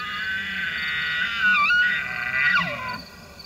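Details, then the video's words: An elk bugles during the rut season, a high whistling tone with rich overtones that wavers and then slides steeply downward. "Elk Bugles During the Rut Season"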